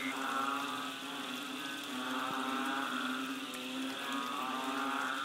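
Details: Banded bullfrogs, the 'moo frogs', chorusing behind a bungalow on Koh Lanta, Thailand, during the rains in March 2011: overlapping low, lowing calls swell and fade over a steady high insect-like hum.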